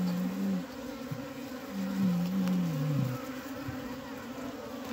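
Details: Honey bees at a diseased beehive in Humla, Nepal, where dead bees lie inside the hive; a steady low hum with wavering tonal drones around the low range, one broken into segments over five seconds.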